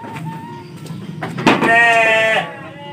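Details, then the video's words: Sheep in a pen in Indonesia, visited in the late afternoon on the first day of the fasting month; a single wavering, harmonic bleat of about one second, with background noise and voices around it. "Ngabuburit Di Kandang Domba"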